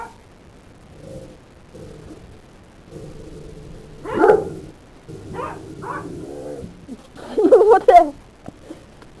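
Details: Great Dane getting mad after a puppy named Snickerdoodle bites its tail; low growling rumbles build into a few sharp, harsh barks and yelps near the end, with quiet stretches between.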